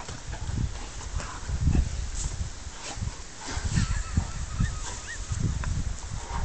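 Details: Rhodesian Ridgebacks play fighting, recorded on an Android phone: a run of low, rough, throaty bursts rising and falling in uneven pulses every half second or so, with faint higher squeaks and scuffling noise between them.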